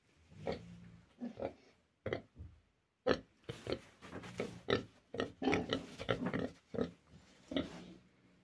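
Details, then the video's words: A young boar of Vietnamese pig stock grunts steadily. Short, low, nasal grunts come in quick bursts, sparse at first and then almost continuous, with brief pauses between runs and no other clear sounds. "Свиня хропить, кабанчик хрюкає"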